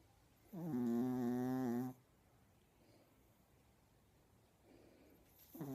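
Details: A female Chihuahua asleep and snoring gives a long, nasal, humming tone, then another snore begins after a quiet pause.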